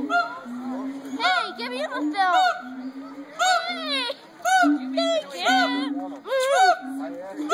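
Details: At the Cincinnati Zoo, gibbons hoot and howl: steady low hoots alternate with clusters of fast, upward-sweeping whoops, repeated in bursts roughly every second or two, with faint chatter behind.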